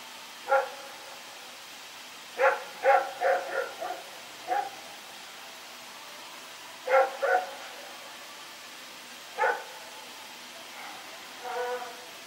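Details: Rex, a dog recorded on 21 September 2018, runs around at night barking: sharp harmonic barks in irregular bursts of two to four, separated by pauses of a second or more, over a quiet background hiss.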